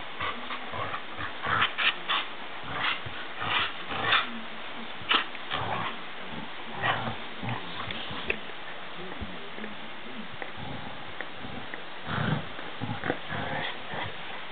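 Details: A Border Collie growls and snorts in rough, rasping bursts during a game of tug, recorded 3 May 2012.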